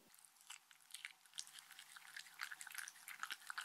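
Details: A Shetland Sheepdog named Mindy munching her dog-friendly treats. Busy, irregular crunching and wet clicking build up and grow denser over a few seconds, with no voices.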